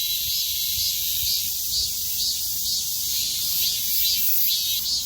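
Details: Midsummer cicada chorus: a dense, high, hissing buzz fills the air, swelling in soft pulses roughly twice per second, steady throughout with no other clear sounds.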